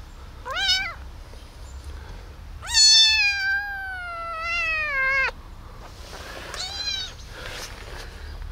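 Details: Abandoned baby kitten rescued from a box on the street, meowing: three wavering, harmonic-rich cries, the middle one long and slowly falling, with faint music in the background.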